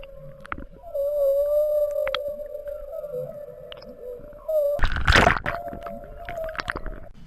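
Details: Humpback whale with calf moving north from Bahia de Banderas: one long, even, low tonal moan sustained for several seconds, broken near the end by a brief loud broadband splash-like burst, then the tone resumes.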